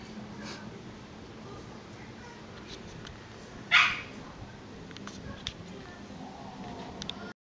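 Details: Kurumi, a Shiba Inu living in a house shared with frogs, recorded 26 June 2010: a single short, sharp bark rings out once over steady indoor hiss, with faint clicks before and after.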